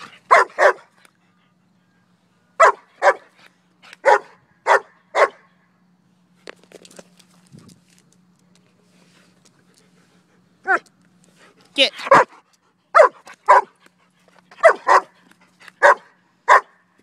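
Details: German Shepherd dog barking while playing with a duck toy and being told to speak: sharp barks in pairs and short bursts of three to four, with pauses between, a faint steady hum underneath.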